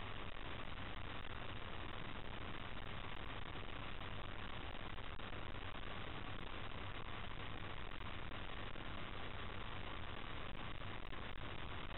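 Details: A steady, dense engine-like hum and broadband hiss fill the whole recording, with no animal voices.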